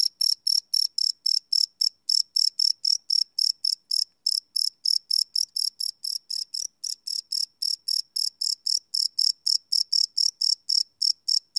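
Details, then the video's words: Crickets calling at night, recorded live with a Sony PCM D100: continuous shrill chirps at around four per second, loudness dipping slightly midway, no other noise. "Cricket Chirp Sound - Cricket Sounds at Night"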